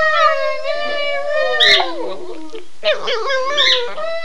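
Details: A pair of pet dogs go wild howling at the owner's cue "Run Guy run": a steady sustained howl that dips and wavers, joined by short higher yelping howls partway through.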